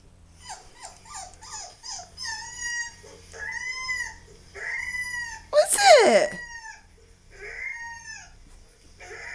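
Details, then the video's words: Husky puppy whining as Labradors react, a series of high, arching whines with rising-falling tones, some short and clipped, one sharp yelp-like burst in the middle; faint low hum beneath. "Labradors reacting to whining husky puppy"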